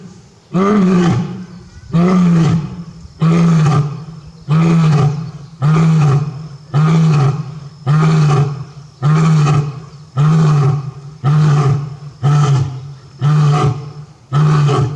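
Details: Male lion in a Japanese zoo, Tobe Zoo, roaring with full force on 5 October 2021, calling again and again for his missing partner. A steady series of deep, booming grunts repeats roughly every second, evenly spaced.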